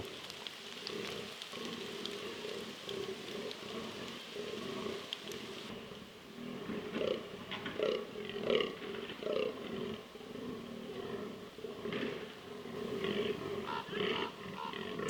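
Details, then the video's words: Wild fallow bucks on a rutting ground in southern Slovakia during the 2023 rut, calling during a short storm. Low, hoarse groans come in quick rhythmic bursts, with steady rain and patter throughout. "FALLOW DEER RUT 2023 /DANČÍ ŘIJE 2023 / ROCHANIE/ ROARINGGREAT FALLOW BUCKS"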